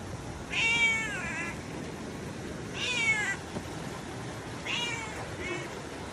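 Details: Orange cat meowing three times, each meow a bright harmonic rising-then-falling cry about two seconds apart, the last one softer and split in two; steady low background hiss.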